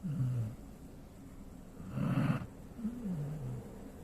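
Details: Sleeping Golden Retriever gives a low wavering exhale, then a rough snorting inhale near the middle, followed by another soft descending whistle-like breath.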